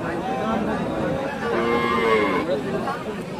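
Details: Dairy cattle at the Chowbaria cattle market, Manda, Naogaon, recorded 21/09/18: a short, low drawn-out moo in the middle, heard under men talking about a cow's age and price amid market chatter.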